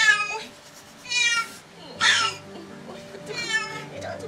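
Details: Pregnant domestic cat during a seven-hour labour giving birth to kittens, meowing four times in drawn-out, harmonic cries about a second apart, with soft background music underneath.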